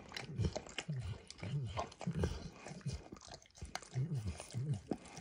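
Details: Close-up wet lapping as the dog Max works over a bumpy orange mat spread with eggs and diluted peanut oil; deep slurping strokes come in irregular clusters with faint crunchy clicks and brief quiet gaps.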